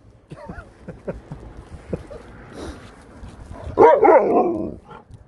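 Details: Dog out on a walk to Tintagel Castle, one short burst of harmonic barking and yips near the middle after quiet rustling and footsteps, with a man's voice nearby.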